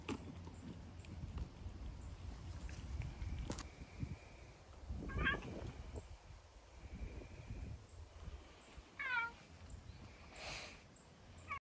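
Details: Two hungry stray cats in Japan feeding on an early-spring morning; a couple of short, harmonic meows stand out midway and near the end over a steady low rumble and faint thin tones.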